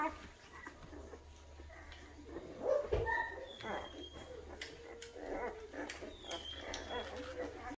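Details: Great Dane. Young Great Danes make soft, rising whimpers and brief, squeaky yelps at irregular intervals. People talk quietly nearby, with a low hum underneath.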